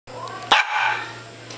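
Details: A Japanese Spitz dog gives a single sharp, loud bark, followed by a softer tonal trailing sound, with a person calling the dog close by and faint room hum.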